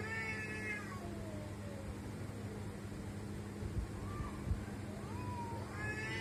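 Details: Domestic cats making weird sounds: wavering, nasal meows open the recording, with shorter rising-falling cries near the end, over a steady low electrical hum.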